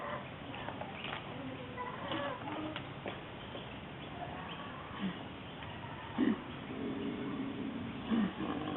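A koala gives low, throaty grunting calls in short bursts over a steady background hiss.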